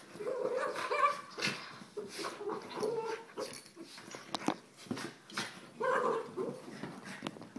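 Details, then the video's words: Abbey and Zoey, two Soft Coated Wheaten Terriers, give nasal whines and high yips between throaty growls, amid rustling and knocking sounds in a small room. "Soft coated wheaten terrier"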